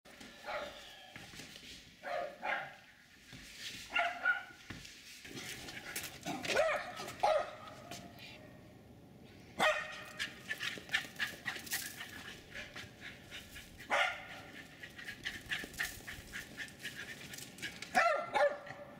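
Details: Jack Russell terriers Jasper and Jaclyn running and chasing around a backyard in Colony Woods, Lenexa, Kansas; Jasper does almost all the barking. Sharp barks come in bursts, often doubled, separated by quieter gaps with rustling and footfalls.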